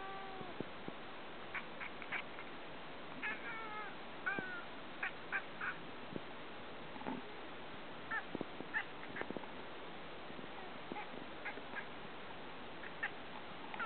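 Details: Ragamuffin cat (Felis catus), chirping call: excitement at birds it wants to hunt.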